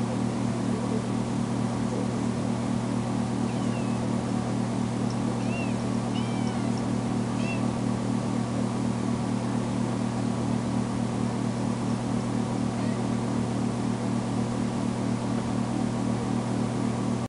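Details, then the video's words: Foster kitten Tamera, just home from the vet after being spayed, crying loudly when left alone in the bedroom: a handful of short, arching meows cluster midway, half-buried under a loud, constant mechanical hum. "Poor Tamera Crying For Me"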